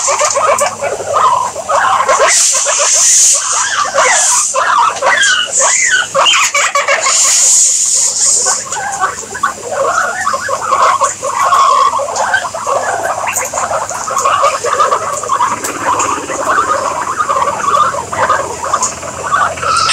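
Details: Guinea pigs chattering in an almost continuous stream of mid-pitched squeaks and chirps, some notes sliding slightly, with intermittent bursts of rustling hiss early on and a steady busy background throughout.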